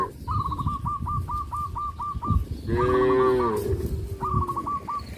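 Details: Cow on a traditional village farm giving one loud, drawn-out moo lasting under a second, with a steady harmonic tone. Quick repeated chirping notes run before and after it, over low rumbling background noise.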